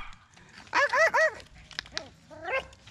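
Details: Poodle giving birth to seven puppies, all the same color: a quick run of three strong arched whines, then softer single whimpers and a final brief squeal.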